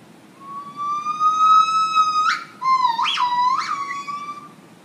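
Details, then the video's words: A gibbon at Chicago's Lincoln Park Zoo sings a morning song of long, clear, siren-like notes that swell and then break into quick upward whoops. "Gibbon song"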